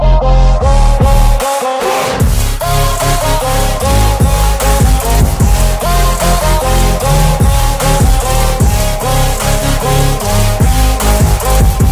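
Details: Heavy electronic dance music with a thumping bass and repeating synth notes fills the whole stretch, with a short drop near the start; no animal sounds.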